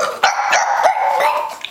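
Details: Pet female pug performing tricks on cue for her owner, giving a drawn-out, nasal whining yowl broken into short segments about every third of a second, with no other sounds.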